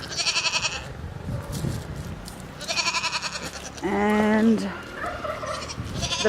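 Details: A pet goat on a small homestead gives a single wavering, nasal bleat amid a person talking; the owner thinks the goats want their usual treats.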